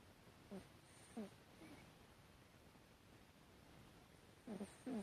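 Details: Sleeping Chihuahua named Hatchi snoring, 12 September 2018: short nasal squeaks with a slight falling pitch, one pair early and a closer double burst at the end, set against soft indoor background noise.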